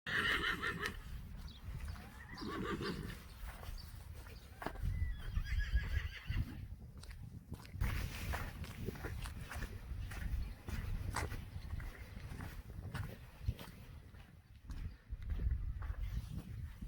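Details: Friesian horses from a herd being brought inside while one horse is lame: a harmonic whinny rising and falling over the first three seconds, followed by low thuds, hoof movement and handling noises outdoors.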